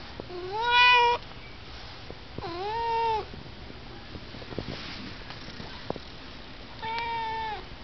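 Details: Pet cat that likes to chat indoors: three drawn-out, rich meows, each about a second long with a slight rise then fall, spaced two to three seconds apart, with small clicks and taps between.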